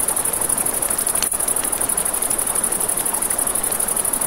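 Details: By a river at night, crickets give an unbroken high pulsing trill; a campfire crackles, with one loud pop near the middle, and running water murmurs in the background.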